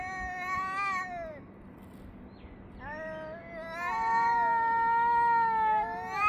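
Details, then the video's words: Two or more cats yowling back and forth, filmed 3 Av 5785 between 6:01 and 6:04 summer time; a bending, falling howl gives way after a quiet gap to long, steady, overlapping wails and a rising final cry. "חתולים מייללים זה לזה Cats are yowling at each other"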